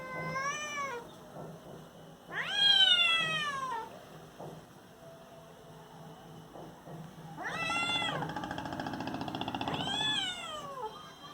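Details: Kittens fighting with loud noise: drawn-out, wailing yowls that rise then slide down in pitch, coming in three or four strong bursts a few seconds apart over a low steady hum.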